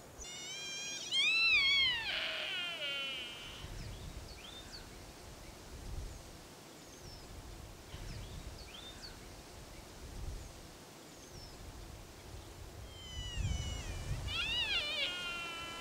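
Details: In Britain, a rutting sika stag gives loud, eerie whistles that climb and then slide down, warning off rivals in autumn.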